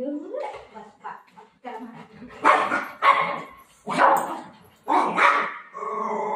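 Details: Golden retriever puppy play fighting with its mother indoors, giving a run of loud, rough, uneven barks and yips about once a second, with a woman talking in Marathi between the bursts.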